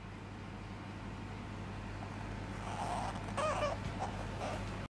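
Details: A pet Asian small-clawed otter in a Tokyo home, clinging to its owner, gives a short run of high, thin squeaking chirps in the second half, over a steady low mechanical hum.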